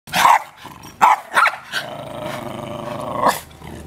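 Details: Not-so-friendly dogs: two or three sharp barks open, then a long rough rumbling growl-snarl that ends in another bark.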